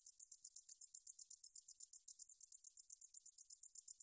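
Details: High-pitched pulsing buzz of a meadow katydid (등줄어리쌕쌔기), recorded in 2020 by Korea's National Institute of Biological Resources. Quick, even rasping pulses come several times a second, with a quiet background.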